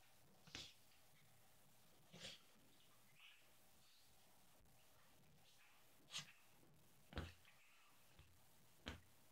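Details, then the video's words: Ronnie, a pet Yorkshire terrier, plays with his pillow indoors while trying to destroy his dog bed. Short, breathy, broadband snorts burst out about every one to two seconds in an uneven rhythm, with a quiet room behind. "Cute yorkie playing in his doggy bed and snorting"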